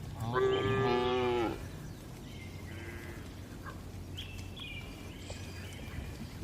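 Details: Tame cattle relaxing in a spacious farm barn: one loud harmonic moo lasting about a second, then quieter distant lowing and faint higher calls over a steady low barn hum.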